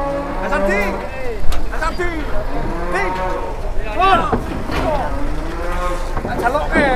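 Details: Cattle in Indonesia being unloaded from a truck, low steady moos with a rising end repeated several times, mixed with men talking loudly nearby and vehicle noise throughout.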